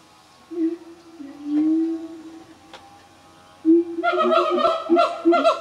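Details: Family group of siamangs, black gibbons, living in a remote forest of the North Sumatra highlands, Indonesia: low sustained hooting notes, then a burst of loud rising whooping calls with several voices overlapping.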